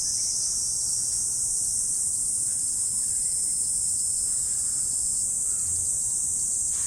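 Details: Insects calling on an autumn morning form an even, ceaseless high whine that never breaks or changes in strength, over a quiet low hum.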